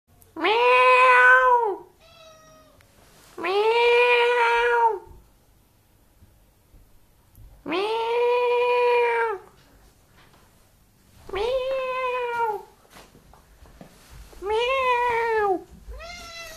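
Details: Cat giving very long drawn-out meows, five of them, each lasting one to two seconds, steady and slightly arched in pitch, rich in harmonics, separated by short quiet gaps indoors.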